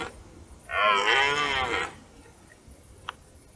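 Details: One rough, sustained bellow just over a second long from a red deer stag during the autumn rut in forest near dark, followed by quiet with a brief click.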